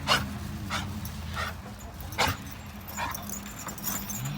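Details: A pet dog on a grandfather's farm gives short, sharp barks, about six of them at uneven intervals of roughly two-thirds of a second, over a low steady background hum.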